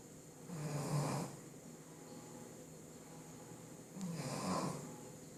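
A Shih Tzu snores in two slow, raspy breaths a few seconds apart.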